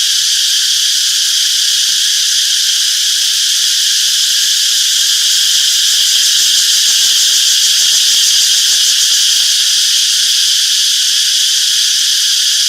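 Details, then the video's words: Summer forest cicadas in full chorus: a continuous, sizzling high-pitched drone that never pauses, even in loudness throughout, with faint flickering texture beneath and nothing else standing out. "Relaxing Cicadas Chirping Sounds - Peaceful Summer Forest"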